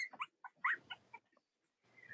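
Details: Cavalier King Charles Spaniel puppies from two litters, indoors on a chilly late-October morning in the US; a quick run of short, high squeaks and yelps, then a brief pause and a faint drawn-out whine.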